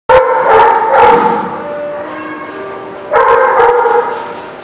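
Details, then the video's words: Dogs barking in a lot on 27 March 2017: a deep, strained, drawn-out bark with howl-like tails, two loud bursts about three seconds apart with a continuous humming tone between. "The Barking Lot"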